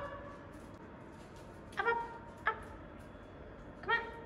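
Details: Samoyed being given a bath, giving three short, high, tonal whines at uneven intervals, each a brief bright note with clear overtones, over a soft steady background hiss.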